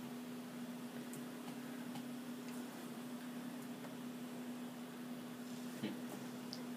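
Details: A quiet indoor room with a steady low electrical hum and a few faint ticks and small knocks; no animal voice is heard.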